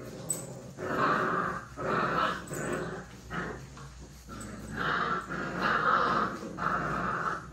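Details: Puppies play-fighting indoors, with rough, buzzy growls in bursts about a second long, separated by short pauses, and a few higher yips mixed in.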